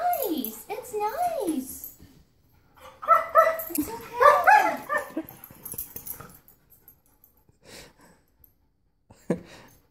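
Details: German Shepherd at a vacuum cleaner, opening with two falling howl-like whines, then a cluster of sharp, ringing barks, fading into quieter scattered sounds and a last short yelp.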